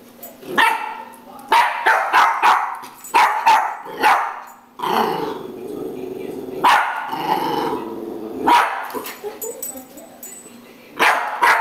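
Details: Jack Russell Terrier barking at a broom: loud, sharp barks in quick bursts of two to four, with short growly pauses and a steady low hum underneath.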